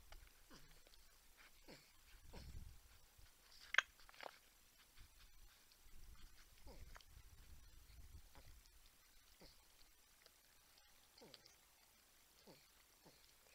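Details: Porcupines heard on a San Angelo, Texas wildlife cam, humming and grunting while a buck and a raccoon look on; thin downward-gliding whines repeat at intervals amid chewing-like rustles and a sharp click.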